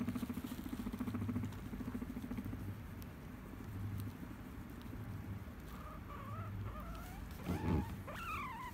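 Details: Tame guinea pig in Japan, attached to its owner, purring with a low, rapidly pulsed rumble strongest in the first second and a half, then softer rumbling, ending with a few short rising squeaks and a brief rustle.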